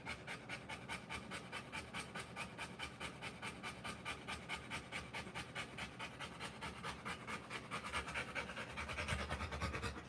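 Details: Rottweiler giving birth to puppies, panting hard in quick, steady breaths, about two to three per second, continuing without pause for ten seconds; breathy rasping bursts grow slightly louder near the end.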